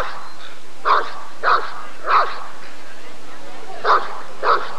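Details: Rottweiler at the 1994 ADRK Körung breed survey, giving five deep, short barks in two bursts: three spaced about half a second apart, a pause of over a second, then two more, over steady low background hum.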